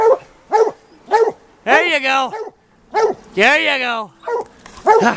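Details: Several White Deer Plott hounds working a big tom mountain lion track on an afternoon hunt; quick single chop barks alternate with two long, sweeping bawls that ring on.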